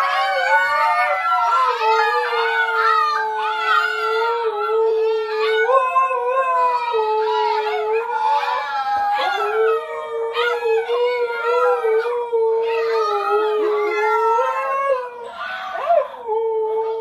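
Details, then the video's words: Siberian Husky puppies learning to howl in a howling class: several young voices howl together in long, wavering tones, overlapping rising and falling wails with a few higher yips near the end. "Husky Puppies Learn to Howl"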